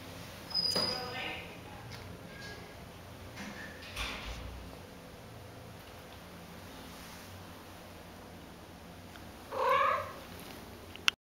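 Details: Female Domestic Shorthair cat, white with charcoal gray and butterscotch calico spots, awaiting adoption, whose meow is a musical trill used to greet people; a short high call early, soft sounds, then a louder rising trill near the end.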